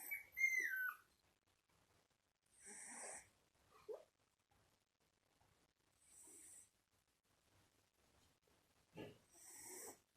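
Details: Sleeping Shiba Inu puppy, one month old, giving breathy wheezing snores roughly every three seconds; a brief high squeaky whistle that slides downward opens the sequence, and silence fills the pauses.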